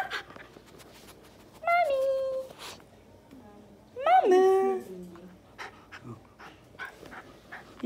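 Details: Miniature schnauzer in conversation with its owner: two whining, moaning calls a couple of seconds apart, the first level and nasal, the second rising then dropping into a lower grumble, with light clicks and handling noise around them.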